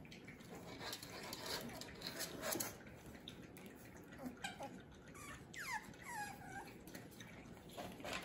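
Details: French Bulldog puppies, the young of Fanya and Meena, playing; after a stretch of soft rustling and scuffling, a short run of high, sliding yelps and whines falls in pitch near the end, with light knocks in the background.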